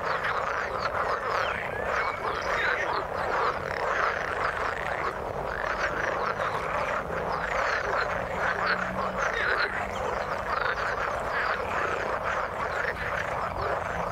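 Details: Many frogs croaking together in water, a busy unbroken wall of raspy pulsed calls, brief low tonal notes around eight to ten seconds.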